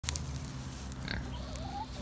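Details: Kunekune pigs on a backyard hobby farm, grunting as they head to breakfast: a steady low, rumbling grunt runs throughout, with a few short clicks and a faint thin rising whistle near the end.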